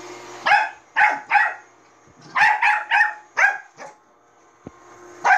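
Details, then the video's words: Bichon Frise barking at a robot vacuum cleaner: a rapid run of about nine sharp, harsh barks in irregular clusters, with brief pauses between groups and a faint machine hum in the background. "비숑프리제 만복이 로봇 청소기멍"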